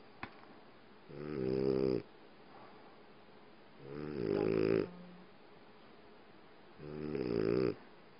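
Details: French Bulldog snores while lying on a person's leg, three deep, rattling, buzzy harmonic rasps under a second each, about three seconds apart, with faint room hum between.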